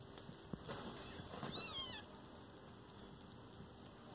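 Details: Chotu, a kitten with its mother, lets out a single high, thin mew that bends downward about a second and a half in, over soft rustles and faint handling noise in a quiet room.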